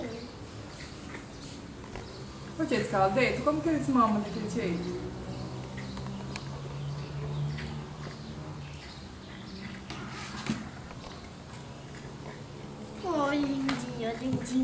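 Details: Nursing Rottweiler puppies of a black female let out wavering, falling whines: a cluster of squeaky cries early on, a quieter stretch with low murmurs, then another rising-and-falling whine near the end.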